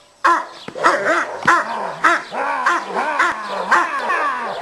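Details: Cane Corso barking aggressively during stick aggression training at a working-dog training school in Piatra Neamț, Romania: harsh, loud barks repeated almost twice a second with rising-falling growly tones between them.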